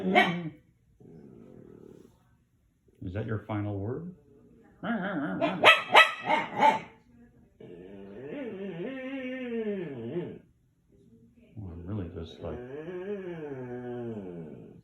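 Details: Pancho, a dog, alternating short gruff bark-like bursts with drawn-out wavering whines that arch up and down, with a person speaking in between.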